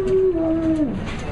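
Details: Pet dog Prince Albert 'talks' to his owner with a single sustained moaning tone that holds level and then drops away at the end, over light background noise.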